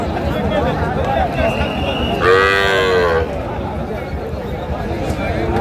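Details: Bulls at Ranigonj cattle market, bought by Chittagong farmers ahead of Qurbani, 20 March 2025; one long harmonic moo of about a second rises over steady crowd chatter and bargaining voices, with faint background music.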